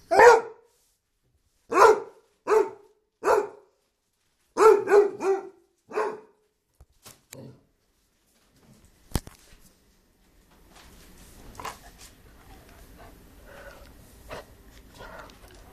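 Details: Dumbo the Basset Hound gives about eight loud, deep barks in the first six seconds, singly and in quick clusters at uneven gaps. Then it falls quiet, with a sharp click and faint rustling and clatter.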